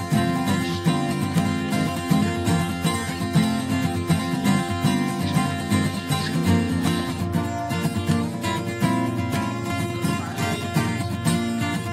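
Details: Strummed acoustic guitar music plays throughout, dense and rhythmic, with no animal sound.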